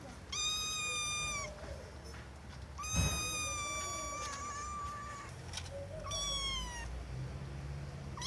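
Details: Loud cat meows: three long, bright calls over eight seconds, the middle one stretched nearly two seconds with a slight wavering pitch, the last falling at its end; brief thump and low background rumble between calls.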